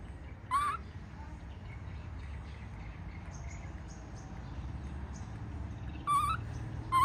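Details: Baby monkey protesting its mother's departure, with brief harmonic squealing cries, one early and two more at the end, amid soft background noise and faint distant chirps.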